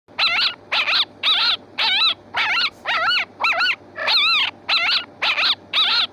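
A fox gives a fast series of hoarse, wavering barks, about two each second.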